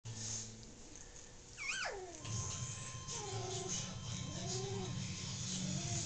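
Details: Carlin Pinscher puppies, almost four weeks old, a litter of two males and five females, put to bed while still wanting to play: one high, wavering whine, then soft, rising-and-falling whimpers over a steady low hum.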